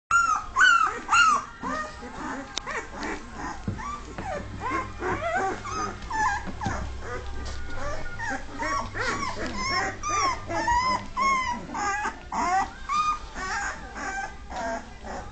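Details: Dogue de Bordeaux pups, two and a half weeks old, learning to walk and top-heavy on their feet. They give a dense run of high, wavering whimpers and squeals, about two a second, with overlapping voices and a low steady hum underneath.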